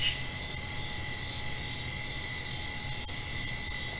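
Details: Crickets at night directly after rain: a steady, unbroken high-pitched shimmering drone, with a faint constant low hum underneath and no other clear sounds.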